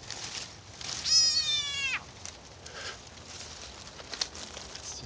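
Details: Frog screaming while being swallowed by a snake: one loud, strained, harmonic-rich cry lasting about a second, held level then dropping sharply at its end, followed by faint scuffling and clicking against a steady hiss.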